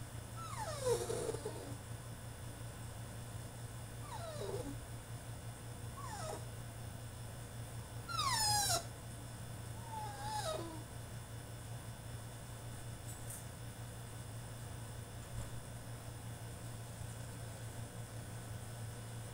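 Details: French Bulldog throwing a tantrum inside his cage, letting out a run of short falling whimpers and yelps in the first eleven seconds, then quiet with only a steady low hum.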